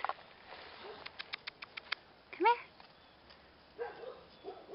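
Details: Five-week-old female Old Family Red Nose pit bull puppies from a 2011 litter give a short, sharply rising whine-like yelp. A person talks to them, and a few quick clicking taps come just before.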